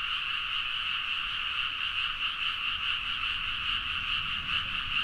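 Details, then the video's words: Many frogs calling together in a Nagaoka, Niigata rice field late at night, recorded with a Zoom H4n; a continuous massed croaking drone, pulsing slightly about twice a second, with no other clear sounds. "The frog sound at mid night (環境,自然音 -深夜のカエル大合唱-)"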